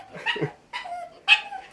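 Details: A five-year-old female pug, a retired breeding dog and the mother of the household's male pug, has recently started barking more often. She gives short, high, yappy barks in quick succession, calling for attention.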